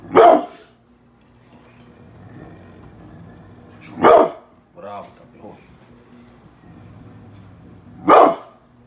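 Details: Pit bull barking on command as a man says speak and praises it, three loud single barks about four seconds apart, with quiet talk and rustling between them.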